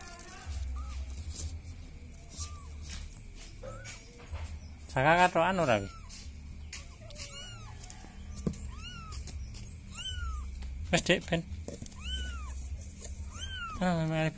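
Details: Village cat calling for help: loud, harsh harmonic meows burst out near five, eleven and fourteen seconds, with many short, arched, higher cries repeating in between over a steady low rumble.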